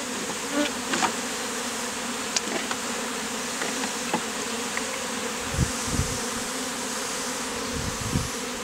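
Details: Honey bees worn as a beard in the heat, bees from a colony removed from a statue; constant dense hum with scattered taps, and low rumbling handling noises near the end.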